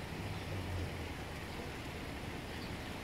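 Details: Dense broadband hiss like rain or road traffic with a low rumble runs throughout, with no animal voice heard.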